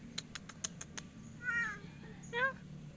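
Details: Domestic cat stuck after climbing fast and unable to get down, giving two drawn-out, wavering meows about a second apart, preceded by a run of sharp ticking clicks, over a steady low hum.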